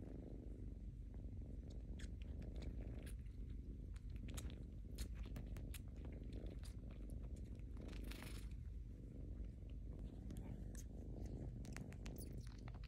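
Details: Close recording of a young rescued cat sucking its paw pad at home: scattered wet tongue clicks and smacking sounds, some in quick bursts, layered over continuous low purring.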